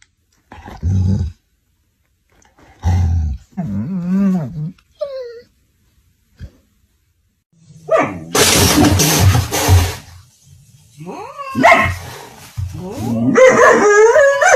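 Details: German Shorthaired Pointer reacting to a cat bullying it: short low growling bursts, a wavering whine, then a loud harsh outburst, followed by more rising and falling whining cries.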